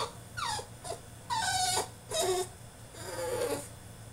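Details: French Bulldog in his cage mid-tantrum, producing short falling whimpers and strained whining cries roughly every half second, over a faint background hum.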